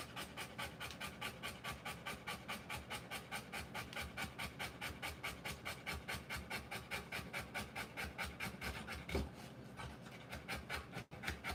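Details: Rapid, regular panting from a Rottweiler during the live birth of her puppies, roughly 140 breaths a minute, with a brief rubbing noise and a sudden cutoff near the close.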